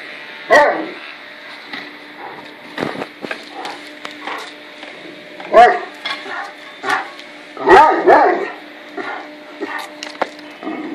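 A Great Dane gives scattered, gruff barks over a steady low hum.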